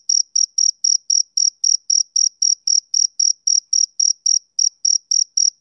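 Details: Summer-evening chirping of a male cricket, a bright, high-pitched pulse repeated roughly four times per second with even spacing throughout and one tiny hitch in rhythm. The background is otherwise silent.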